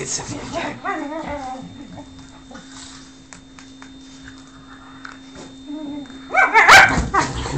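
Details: Whippet Lux pleading for Sophia's affection in a small room: a brief wavering whine early on, quiet stretches with a steady hum, then a sudden loud yelp near the end, with people's voices faintly mixed in.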